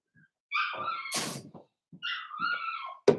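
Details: Indoor pen of blenheim Cavalier King Charles Spaniel puppies: two drawn-out, wavering whines, broken by a dull thump and a sharp knock at the end.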